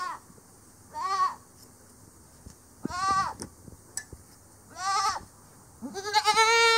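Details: Angora goats bleating during head shearing on a farm, done by hand with scissors; four to five shaky, nasal bleats spaced one to two seconds apart, the last louder and rising, with scissor snips and handling in between.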